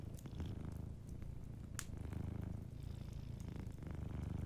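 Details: Purring of a dozing cat near a fire, a deep pulsing drone that swells with each breath, with a few fireplace crackles and one sharp snap.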